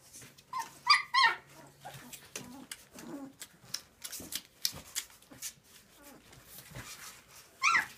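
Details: Transylvanian Hound puppies, 19 days old, giving high squeaky whimpers and yelps in short bursts with harmonic whines, scattered across the recording amid rustling and clicks indoors.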